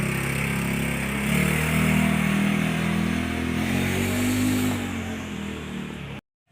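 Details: Steady droning engine, like a motorcycle idling and revving outdoors, then an abrupt cut to silence.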